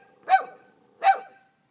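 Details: Abandoned puppies, cold without their mother, give two short high-pitched yelping barks about three-quarters of a second apart, each bright and harmonic with a quick rise and fall, in an otherwise quiet setting.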